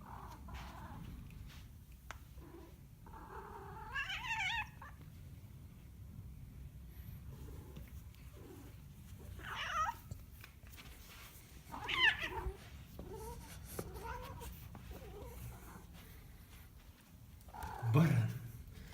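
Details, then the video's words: Scattered cat yowls and strained cries spaced several seconds apart over a soft background hum, with a few clicks and a louder thump toward the end. "Кот баран"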